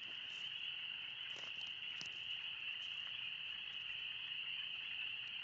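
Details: Deafening chorus of spring peepers in the Oxford Woods on one of the first warm spring days, a continuous high-pitched shimmering wall of peeps with faint scattered clicks.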